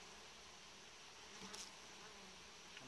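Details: Honey bee colony inside a hive kept in a warm-frame arrangement by a beekeeper: a steady, dense, broadband buzzing hum that runs without pause, with a few brief brighter rustles or knocks midway.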